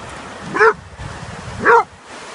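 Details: Black dog on sand poking at a flatfish, giving two short, sharp, yelping barks about a second apart over a steady background hiss, possibly wind or surf.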